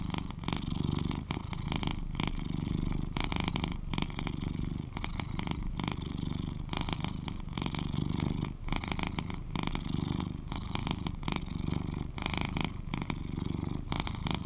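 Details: Continuous low rumbling purr from an 11-year-old male British Shorthair, described as very cuddly; each purr cycle swells and fades roughly every one and a half to two seconds, with no other sounds.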